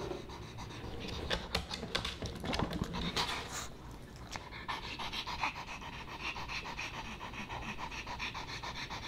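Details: Boba Bear, a Pomeranian puppy, eating dog-friendly fish and chips: sharp crunchy clicks and chewing bursts for the first few seconds, then settling into quick rhythmic panting.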